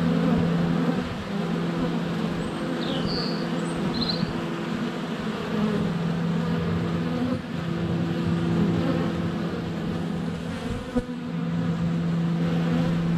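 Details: Honey bees in flight swarm a hive entrance on a sunny February day, a GoPro Hero 7 Black less than a foot away: a dense, steady low drone with humming tones, bees landing on the camera, and brief high bird chirps near the start.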